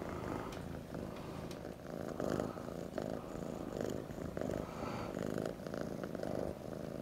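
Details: Jack, an orange tabby kitten, purrs while snuggling; a continuous low vibrating rumble swells and eases in gentle waves with each breath, accompanied by occasional light rustling.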